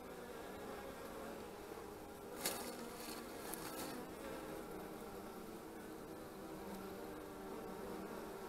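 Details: Many honey bees buzzing around their hive on 25 March 2015: a continuous low humming drone with overlapping wingbeats, broken by a short burst of clattering knocks near the start.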